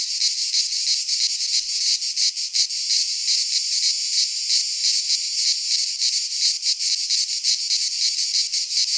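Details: Loud high buzzing of cicadas in a Greek pine forest during midsummer, continuous and shimmering with rapid pulsing beats and small dips in volume, a pure insect chorus.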